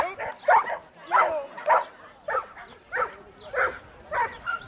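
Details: Giant Schnauzer running an agility course in 2013 with its 63-year-old handler barks in short, sharp, excited bursts, about seven barks spaced roughly every two-thirds of a second, with faint background noise.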